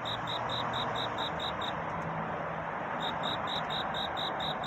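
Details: Cricket singing a courtship song on a night toward dawn: evenly spaced high, ringing chirps, about two per second, break off for a moment midway and then resume over a steady broadband hiss.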